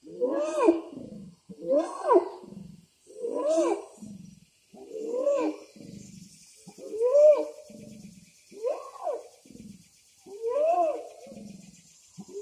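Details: Orangutan voice meant to attract a female, as explained by a local guide. Seven loud, harmonic hoots, each swooping up and then down, repeated about every one and a half seconds with short gaps between them.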